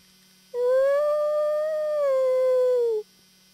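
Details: Howl exchanged between a wolf and a human: a single smooth tone that rises slightly, holds, then arcs gently downward over about two and a half seconds, clear and unbroken.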